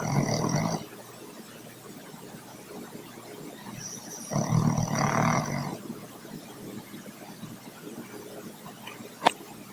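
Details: Troy, a dog, snoring: a rasping snore at the start and another louder one around four seconds in, separated by quiet breathing, with a sharp click near the end.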